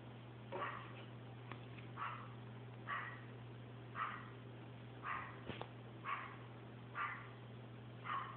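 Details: Chihuahua playing with a paper towel roll, giving short vocal bursts about once a second, eight or nine in a row, each brief and mid-pitched, over a steady low electrical hum.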